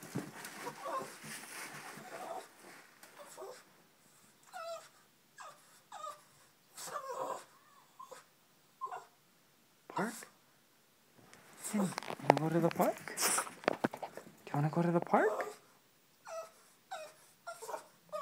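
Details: A female Boston Terrier, asked if she wants her daily run and ball chase at the park, whines and cries in rapid, high, wavering bursts.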